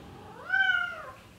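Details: Single drawn-out meow from a male Bengal cat in heat calling a female, rising at the start, holding steady, then sliding down at the end.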